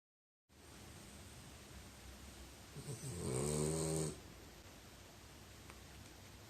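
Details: French Bulldog snoring: one low, harmonic rasping snore swelling near the middle and lasting about a second, set between quiet breathing and a steady background hiss.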